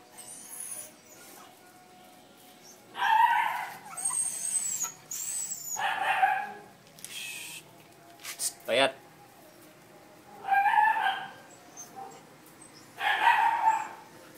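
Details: Seven little puppies give short yelping bursts about every two to three seconds, mixed with a person's soft coaxing talk in Filipino and light indoor background noise.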